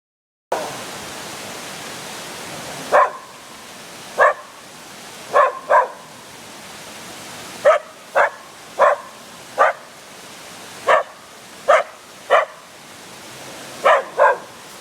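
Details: A dog barking at a statue at Yasui Valley in Kochi Prefecture, Japan: sharp single and paired barks in irregular bursts over a steady rushing background like flowing water.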